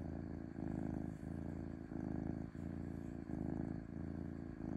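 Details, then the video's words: Smooth, gentle purring from a domestic cat: a deep, buzzing rumble in even waves, each breath cycle under a second long, briefly dipping between breaths; a faint steady hiss underneath. "5H of Cat Purring Smoothly"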